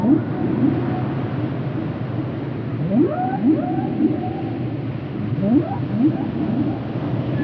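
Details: Whale giving repeated short upsweeps, some paired and in bursts roughly every half second, with a few higher gliding notes, against a steady low rumble of water noise.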